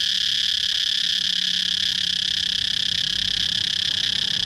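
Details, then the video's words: Steady, piercing cicada buzz fills the whole stretch, a dense high drone with no breaks and a faint low hum underneath. "cicada chirping sound"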